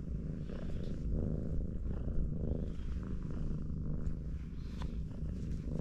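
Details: Steady low purring from a mother cat hugging her four kittens as they rest; rhythmic rumbling pulses fill the clip, with a faint click or two.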